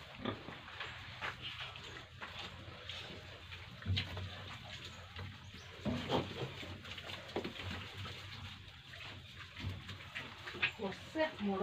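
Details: Tripura pig farm with pigs and piglets: steady low, rough grunting throughout, broken by occasional louder snorts and a few thin squeals toward the end, over a constant background hum.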